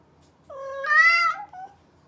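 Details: Close, loud meow from a mischievous domestic cat: a clear harmonic cry that steps up in pitch midway, swells, then trails off with a short wavering tail in a quiet room.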